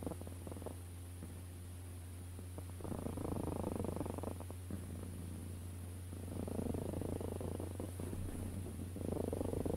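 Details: A cat purrs continuously, its rough vibrating rumble growing fuller in long stretches of roughly three seconds and softening between them, with a constant low background hum.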